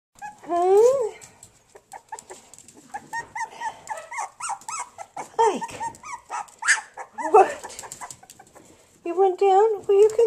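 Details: Puppies, two Havanese and one bolonka, give high, tonal whines that rise and fall, with a short cluster near the end, while a person talks and coos to them between the cries.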